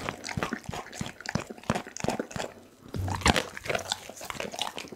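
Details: Dougie, a pit bull, eats a whole raw chicken indoors, filmed on an Insta360 ONE R for Christmas-night ASMR: wet, irregular bites and crunches with a few louder snaps around the third second.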